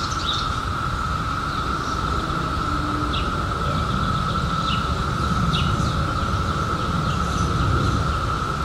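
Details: Cicadas that emerged in 2021 after a 17-year underground spell keep up a level, continuous drone, joined by scattered sharp high bird notes and a heavy low rumble.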